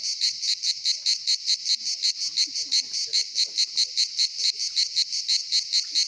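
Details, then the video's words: Summer cicada song at Pitsunda, Abkhazia, where many cicadas gather: a piercing, buzzy rattle beating in quick, slightly uneven pulses, with soft distant chirps beneath. "Поющие цикады курорт Пицунда Абхазия"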